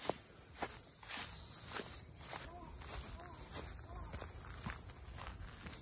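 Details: Continuous high buzzing of cicadas fills the air around the traditional boat houses of Ine no Funaya near Kyoto, accompanied by steady footsteps and a brief spoken voice in the background.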